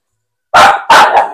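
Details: Aspin native dog being bathed gives two loud, rough barks in quick succession after a short silence, the second trailing into a brief third yap.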